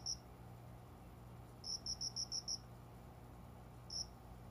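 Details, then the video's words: Cricket calling from a window-side plant area just after 5 a.m. in summer. One high chirp, then a fast run of six even chirps, then another lone chirp, with a faint low hum beneath. "虫の鳴き声 この虫の声は鈴虫のかな？コオロギ？"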